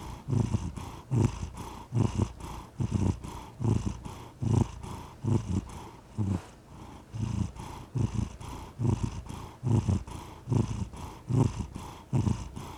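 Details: Steady low rumble of a purring cat, paired throbbing bursts repeating about once per second for the whole stretch, recorded close in a quiet room.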